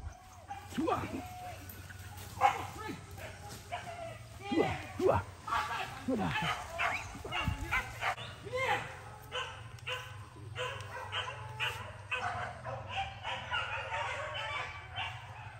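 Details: First hunting training of Max, a dog at PORBI Legaran Sungai Pingai; a busy chorus of barks and yelps repeats throughout, with a few strong peaks, while a person talks over a low background hum.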